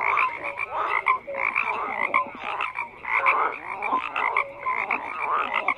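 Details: Many frogs croak together, with raspy bursts rising and falling in waves roughly each second. Short pure tones sit among the overlapping calls, and the chorus never pauses.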